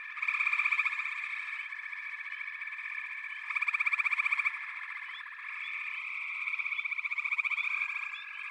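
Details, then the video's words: Frogs in a backwater chorus, rapid pulsed rattles rising out of a dense continuous trilling drone, with two prominent loud bursts and scattered brief higher notes overhead. "FROGS - Pig Frogs, Water Frogs, Backwater Chorus, & Frog Chorus"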